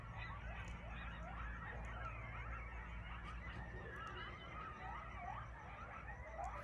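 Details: Several coyotes calling early in the evening near a homestead with goats and chickens: a chorus of overlapping wavering yips and quavering howls, sliding up and down, continuous throughout, with a low steady hum beneath.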